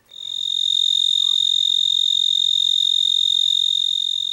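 A tree cricket chorus: a loud, steady, high-pitched trill that runs on without pause.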